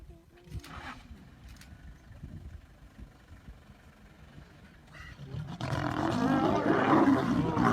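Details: Lions fighting, with four lions suddenly attacking a single lion that growls and fights back; after quiet rumbling and scuffling, loud harsh snarling roars burst out and continue to the end.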